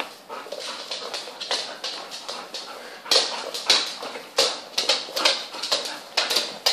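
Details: Twelve playful young puppies with their mother dog, a quieter opening of scuffles giving way to loud, shrill squeals and yips repeated several times a second.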